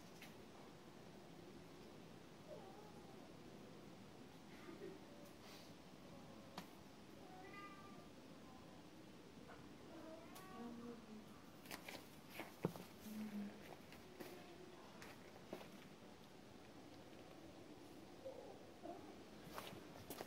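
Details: A cat gives several soft, drawn-out meows spread across the recording, some rising then falling, heard quietly among scattered clicks, taps and knocking sounds.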